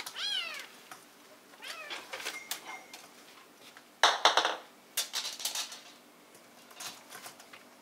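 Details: Bengal kittens, silver spotted and marbled, filmed indoors on 19 December 2014; a bright high mew opens, followed by two softer mews, then loud clattering knocks and rustling.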